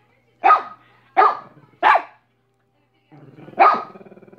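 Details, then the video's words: Barking from Minnie, a dog: three single sharp barks in quick succession, a pause, then one more bark preceded by a low throaty rumble. "Minnie barking for 5 minutes"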